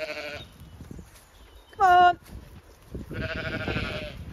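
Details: Zwartbles ewes on a regenerative farm in County Kilkenny, Ireland, being turned out of the shed into the field and counted. One loud, harmonic, wavering bleat stands out among softer bleats, with rustling and a man speaking nearby.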